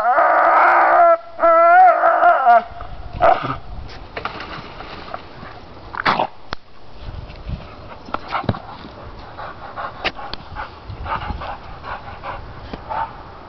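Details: Pit bull stubbornly gnawing the lower branches off a pine tree: a loud, tonal, high whine with rich overtones for about two and a half seconds, then scattered crunching and snapping of chewed wood with short sharp clicks.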